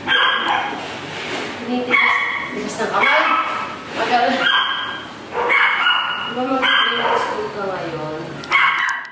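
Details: Dog at a veterinary checkup, disliking needles and muzzled during a blood draw, lets out repeated shrill, wavering squeals like a pig, each burst about a second long, over steady human conversation.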